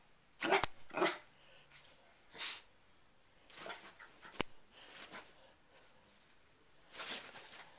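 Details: Pet dog barking indoors in reaction to a hair clip being opened and closed: short sharp barks in irregular bursts, several in quick succession early on, then scattered single barks with quiet gaps, plus faint clicks.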